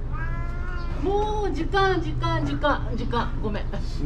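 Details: Karin, a fierce stray cat in a park in Japan, growls threateningly after being made to leave the waiting room at six o'clock. She gives drawn-out, harmonic yowling moans that rise and fall, with a person speaking softly nearby.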